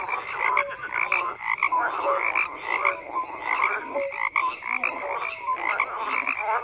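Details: Many frogs calling together, a thick bed of raspy croaks punctuated by higher chirping notes, the chorus surging and easing irregularly throughout.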